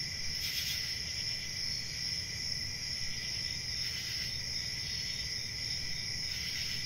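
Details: Nighttime crickets trilling continuously, with shrill overlapping bands of chirps and brief louder bursts near the start and end, above faint low rumble.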